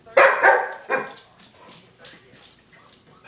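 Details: Demanding female pet dog barking indoors: three loud, sharp barks in quick succession over the first second, then fading softer sounds.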